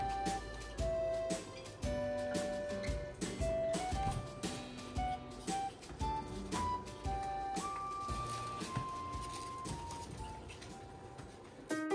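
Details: Gentle plucked-string and flute-like music plays throughout, with no animal sounds audible.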